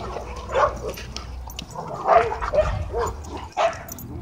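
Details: Dogs at a dog park, where happy play is interrupted by a dogfight: short harsh barks or yelps burst out in an irregular series of about five, with low background rumble and noise.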